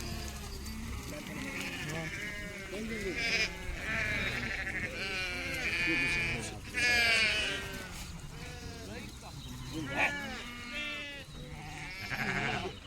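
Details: Many sheep at a village market where one is being bought, bleating in overlapping quavering cries almost continuously, mixed with men talking and general crowd noise.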